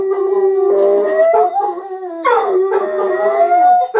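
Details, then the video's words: Indoors, pet dogs Gracie and Lilly howl together with their owner; a steady mid-pitched howl wavers, then a fresh howl breaks in with a sharp start and climbs slowly upward. "Gracie & Lilly Howling Part 2"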